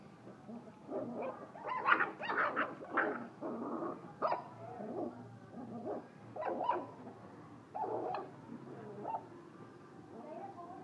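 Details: A black pitbull–Dalmatian cross puppy from a litter of six in Hanoi gives a series of short, harsh barks and yips, spaced irregularly.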